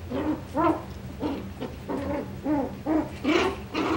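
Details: Coton de Tulear puppies, Moxy's litter, filmed 9/21/23: a rapid series of nasal, arching whines and yips, roughly two or three per second, each with a bent rising-falling pitch, over a low steady hum.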